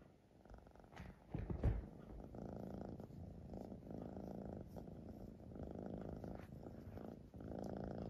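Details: A Siamese cat purrs indoors: a soft, steady low rumble that swells and eases with each breath, roughly every one to one and a half seconds. There is a brief louder bump near the start.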